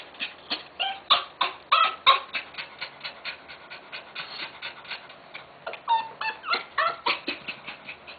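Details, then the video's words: Tenterfield Terrier giving birth in Japan; sharp, clipped high squeaks and tiny yips fire in uneven rapid series, with one brief whistled whine near the end, against soft indoor hush. "Tenterfield Terrier gives birth"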